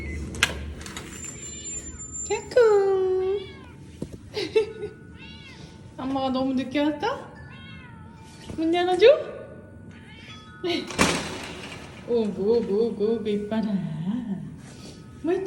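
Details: A domestic cat comes to greet its owner home from work, giving a string of rising and falling meows, somewhere between glad and scolding, with a woman talking.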